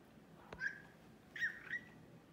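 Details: Male American Shorthair cat, classic silver tabby, in excited play mood: two brief high squeaks, the second longer and wavering, after a sharp click.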